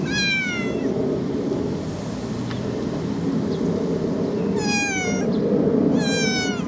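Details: A loud kitten gives three clear meows, each a short wavering cry that slides downward, the first at once, then two close together after a long pause, with constant low hum behind.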